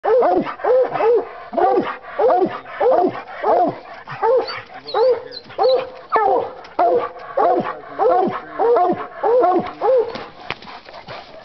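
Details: Five-year-old Bluetick Coonhound barking at the tree while coon hunting, with a second hound, an English, also calling in the background. Rhythmic, ringing, slightly falling barks come about every half second, overlapping steadily throughout.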